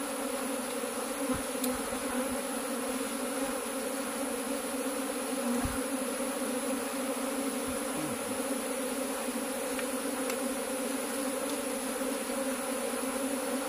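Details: Cultivated honey bees give a steady, dense hum with a low drone and a brighter overtone held throughout, with a few faint clicks and taps.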